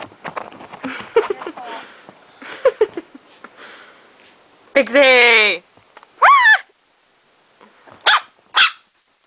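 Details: Female Chihuahua, described as crazy and funny, at home. A voice talks first, then one long drawn-out, high-pitched harmonic yelp, followed by three shorter sharp yaps spaced about a second apart.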